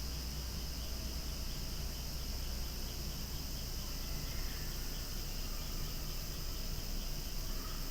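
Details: Outdoors where flowers sway, cicadas keep up a noisy, even, high-pitched drone throughout, with a faint brief higher sound near the middle and steady low background rumble.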